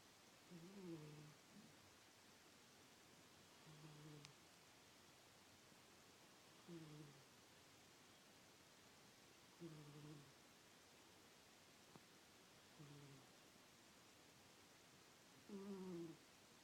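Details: Miss, a domestic cat, snores while asleep indoors in a small room: low, rough, buzzing snores roughly every three seconds, each a short drawn-out rasp, six in a row over a quiet background hiss.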